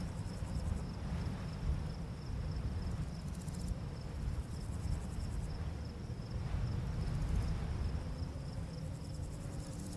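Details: On a summer full-moon night in a barley field, crickets chirp steadily in a thin, high, pulsing trill under a heavy, low rumble of wind blowing through the grass.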